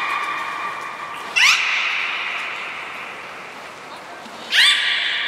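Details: Beluga at Port of Nagoya Public Aquarium, trained alongside Niko and Mirai on 29 February 2020: a steady humming tone broken by two brief sharply rising chirps about three seconds apart.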